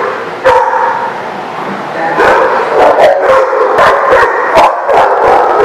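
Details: Several dogs recorded on 26 February 2018: one sharp bark, a brief pause, then an overlapping stretch of rapid, high yipping barks and whimpers from multiple dogs, about three per second.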